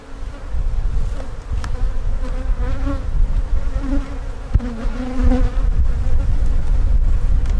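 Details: Loud, continuous buzzing of honey bees over a brood frame during a hive inspection, with wavering pitched tones rising and falling around the steady drone, one sharp click midway, and strong low rumble from handling.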